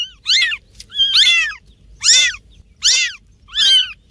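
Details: Cats and kittens meowing to attract other cats: five loud, high, strained meows repeated at fairly even intervals of under a second, each arching up and down, in a quiet setting.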